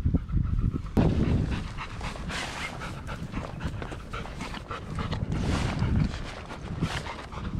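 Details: Golden Retrievers on a group walk of seven dogs in Ain village, March 2021. Fast breathy panting at about three puffs a second, with loud bursts and quieter stretches over low outdoor noise.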